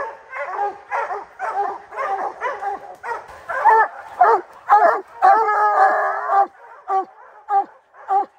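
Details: Rocky, a hunting dog, on the opening day of the black bear training season in July 2024, giving loud ringing barks repeated nearly twice a second in steady bursts, with no other sounds intruding.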